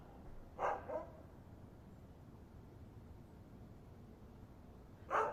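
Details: Dog with a soft double bark near the start, a long quiet gap, then another bark at the end, over a low hiss.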